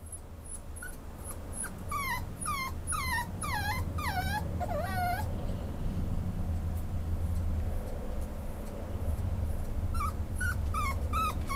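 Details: Male Schnauzer at a pet shop, up for adoption, whimpering in a run of short, high, falling whines with harmonics, a quiet gap, then a few more whines near the end over a low steady room hum.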